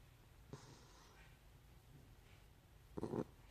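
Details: Miniature schnauzer Gracie snoring while asleep in the afternoon indoors: two rough, breathy snorts about two and a half seconds apart, the second louder and throatier, with quiet room hiss between them.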